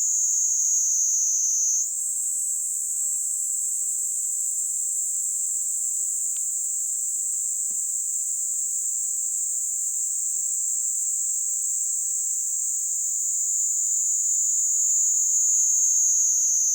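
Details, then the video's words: Kaempfer cicada singing on a hand in Kanto, Japan, July 26, 2022: an intense high buzz that steps up in pitch early on, then continues as a long steady drone, swelling slightly louder toward the end. "Singing kaempfer cicada on my hand"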